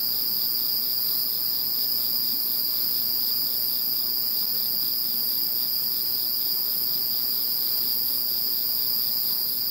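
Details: Following Typhoon No. 21, a constant wall of high insect trills, stacked steady tones with faint regular pulsing throughout, nothing else standing out.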